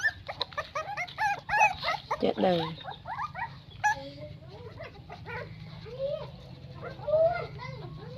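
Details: A litter of nine newborn puppies gives rapid, high squeaky whines and yelps that overlap in bursts, some rising and some falling, over a steady low hum, with brief human speech.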